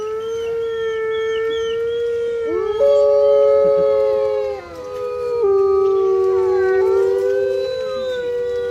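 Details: A pack of grey wolves at Artis Zoo, Amsterdam, on 10 November 2013 howls together, long smooth tones overlapping and sliding against one another.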